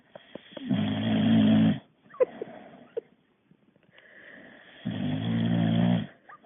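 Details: Jameson, a Boxer dog tired from exercise, snoring: two loud, low, rumbling snores about a second long each, separated by a pause of small snuffling clicks and soft breaths.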